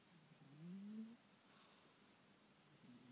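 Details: A pet cat snoring while asleep: one soft, low, rasping breath that slides slightly upward, then quiet breathing and faint background hiss.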